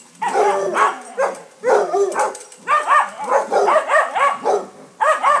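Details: Dogs barking as a neighbouring St Bernard, wanting to play, visits basset hounds: bursts of harmonic, arching barks and bays in quick runs, broken by short pauses, with bays closely spaced near the middle.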